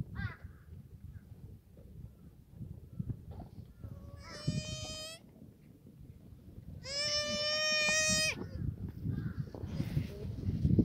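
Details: Black goats on a farm in Gimhae, South Korea, sunny Sunday morning in the exercise yard; two quavering, nasal bleats, one short and one longer over a second, above steady low farm rumble.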